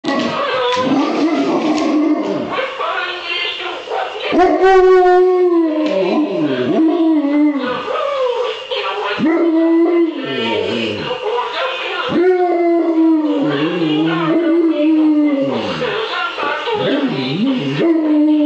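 An Alaskan Malamute howls and yodels in long, wavering, rising and falling tones.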